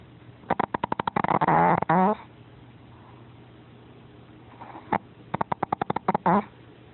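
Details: Paco, an 8 lb pet dog, asleep and snoring: rapid clicking, fluttering bursts build into short rasping snorts, then a quiet gap, and the pattern repeats once more.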